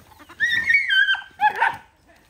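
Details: Dogs eating rice together; one dog gives a drawn-out, high, tonal whine that slides downward, followed by a brief yelping bark.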